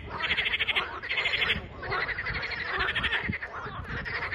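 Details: Chorus of frogs recorded 21 April 2023: bright rattling pulse trains roughly a second long, repeated with short gaps, several callers overlapping, a faint low rumble underneath.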